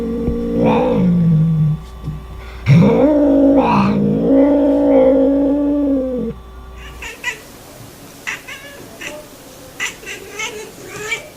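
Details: Cat making funny sounds: low, drawn-out moaning meows with steady harmonics for about six seconds, then quieter clicks and faint noises with background hum.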